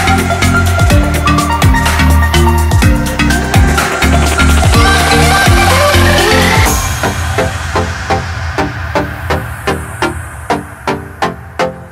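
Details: Loud electronic dance music with a heavy bass beat and rapid drums, shifting to sparser, regular pulses partway through; no animal sound is heard.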